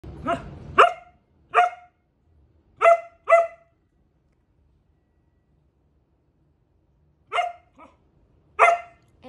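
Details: Samoyed dog answering with "I love you" back: seven short, bright, harmonic yelp-like vocal bursts, each under half a second, spaced unevenly across the recording with long quiet gaps between them, in a quiet indoor setting.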